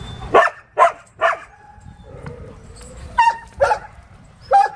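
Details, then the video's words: Several dogs bark at a dog shelter: sharp harmonic barks in a quick run of three, a pause with a low whine, then three more barks spaced about half a second apart. "THE BARK ARK DOG SHELTER"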